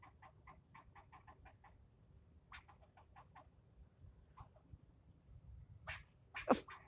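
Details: Upset squirrel scolding the person filming it during a yelling spell of nearly ten minutes: rapid trains of short, raspy barks in several bursts, then a few louder, harsher cries and a knock near the end.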